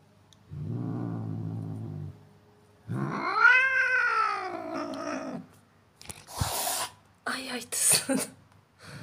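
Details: Angry cat: a short low growl, then a drawn-out wailing yowl that rises and falls, followed by two sharp, breathy hisses with brief pauses between them.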